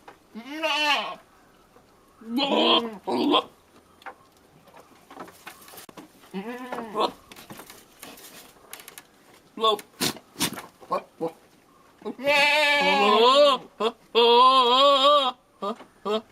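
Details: Courting billy goat yelling at a female goat: short, rough bleats separated by pauses and scattered clicks. A long, wobbling, drawn-out bleat follows near the end.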